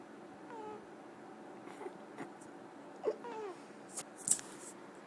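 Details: Sleeping ferret snoring indoors: two soft, descending squeaky whistles a few seconds apart, with small clicks and brief rustling sounds in between over a low room hum.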